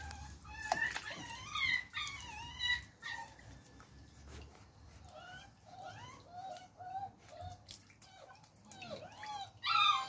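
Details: Beagle puppy whimpers while learning to swim: thin, high, bending whines in uneven bursts, some short and clipped, others drawn out and sliding down, with light splashing between them.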